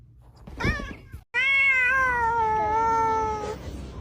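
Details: Domestic cat meowing indoors after its owner asks it to sing: a short chirp, then a long drawn-out harmonic meow holding steady and slowly falling over about two seconds.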